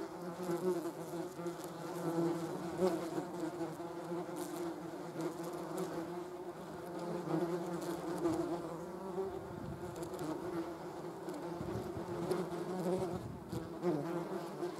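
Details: German wasps (Vespula germanica) filmed alongside a hornet, producing a steady droning buzz with stacked low tones that waver in pitch and loudness over the whole stretch, swelling at times as insects pass close; faint clicks in the background.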